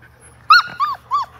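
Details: Five-week-old Labrador Retriever puppies in a baby pool with water; three short arched whines, the first loudest with a brief rough edge, spaced under half a second apart.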